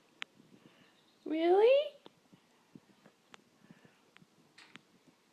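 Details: House cat that wants to go out by the door gives one short, rising meow that swoops up and fades. Light clicks and tapping sound in a quiet room before and after it.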